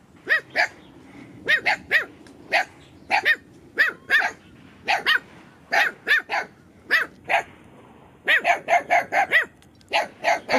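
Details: Dogs meeting new puppies near the puppies' lair, barking in short sharp bursts, often in pairs, then a faster run of barks near the end; a person talks quietly in between.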